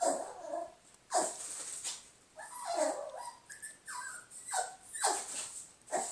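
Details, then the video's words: Lola, a pet dog, barking at her own reflection; short sharp barks and yelps come in irregular bursts about once a second, with some whining between them, recorded indoors on a phone. "Lola barking at her reflection."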